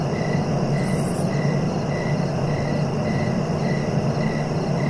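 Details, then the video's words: Cricket chirping for sleep and relaxation: short even pulses repeated about every 0.6 seconds over a steady, loud low rumble and hiss, with a brief higher hiss near the start. "Relaxing cricket sounds for sleeping"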